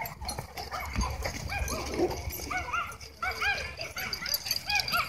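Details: Several dogs chasing a Beagle give a run of short, arching yelps and barks, bunched in quick bursts, with scuffling and a person's voice in the background.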